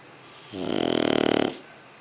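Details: Shar Pei puppy named Sugar snoring while asleep; one rattling, finely pulsed breath lasting about a second, rising quickly and cutting off, with a quiet room around it.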